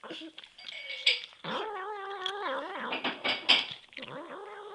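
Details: Hungry male pet cat indoors, begging with loud, drawn-out wavering meows that rise and fall in pitch, several calls run together with brief gaps, plus a short human voice.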